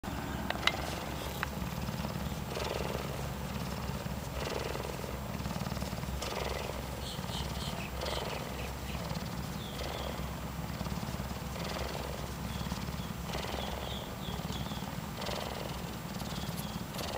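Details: Cougar kitten purring while cuddling, a steady low rumbling purr running throughout with rhythmic breathing pulses about every second and faint higher scratchy noises above.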